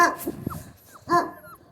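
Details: Central Asian Shepherd Dog puppies, Mansur and Merbet, crying outdoors in cold, windy weather: two short harmonic yelping cries with faint, thin falling whimpers between them.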